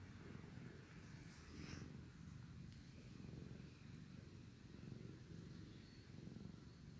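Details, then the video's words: Loud purring from a sleepy male cat being groomed by his brother cat: continuous deep rumble rising and falling with each breath, roughly every second, plus faint higher rustles of licking. "Sleepy, loud purring cat getting cleaned by his brother"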